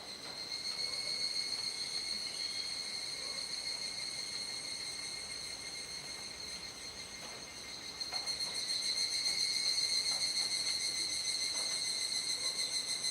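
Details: Dusk chorus of cicadas, Kuji in Iwate Prefecture, Japan, 17 July 2017 near 19:11–19:25, rainy season. A sustained piercing whine with layered high tones dips briefly mid-clip, then grows louder again after eight seconds.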